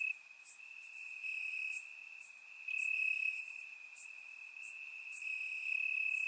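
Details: Warm summer night in Bulgaria: crickets in grass give a steady piercing trill that swells in short surges, accompanied by scattered very high ticks from other insects; recorded with a surround microphone.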